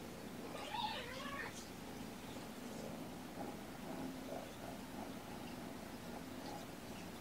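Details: Kittens from a surrendered mother cat's litter born November 22 (Button, Puck and Sequins), sleepy and being petted indoors on the afternoon of 2018-02-13; one short, wavering meow in the first two seconds, then steady low room hum with faint voices.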